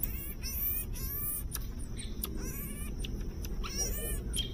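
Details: Hungry baby marmoset begging: quick clusters of thin, high, harmonic-rich squeaks and short trills, several bursts spread over a few seconds, above a constant low rumbling background.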